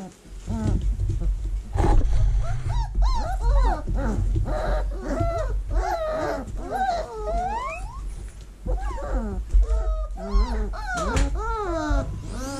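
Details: Several vizsla puppies in a whelping box in early October 2020, during cleaning. Dense, overlapping high whines and yelps come in quick succession, bending up and down in pitch. A steady low hum sits underneath.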